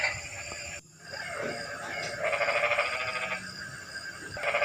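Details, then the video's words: On a rainy night a frog gives a rapid, rattling pulsed trill lasting just over a second, following a brief quiet gap, with steady hiss throughout. "Kodok & Suara kodok hujan meramaikan suasana sepi malam ini"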